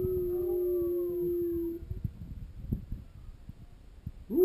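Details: A dog howls along with wolves heard on TV, giving a long, steady howl that holds one pitch and then starting another rising howl; the owner sees howling as pack bonding, as among wolves.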